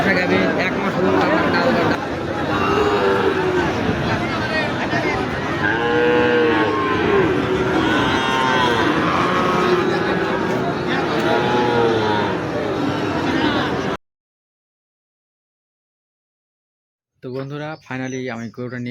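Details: Cattle at a crowded cattle market, bought and brought home: several drawn-out, harmonic moos around the middle of the clip over heavy crowd chatter and market noise, then a break and a burst of speech.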